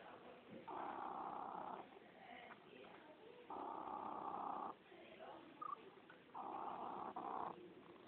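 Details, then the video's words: Domestic cat purring: a steady, rough rumble rising in broad swells roughly every three seconds, with quieter gaps between the louder stretches. "fusa di gatto"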